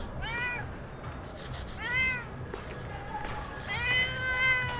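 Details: Repeated meows from a stray cat somewhere in Sharm el Sheikh, Egypt: three harmonic, arching calls, the last one long and level, with brief clicking noises in between and a constant low background hum.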